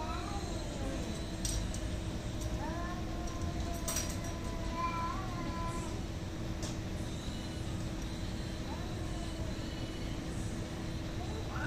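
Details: Fighting cats producing a mid-length wavering yowl that wobbles up and down over a few seconds, followed by a short rising whine, with clicks, steady hum and noisy background throughout.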